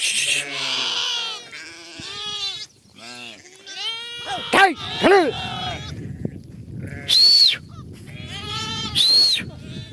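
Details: Lambs running and bleating: bursts of arched, strongly harmonic bleats separated by quieter gaps, including two high thin cries late on, with murmuring voices and low rumble between calls.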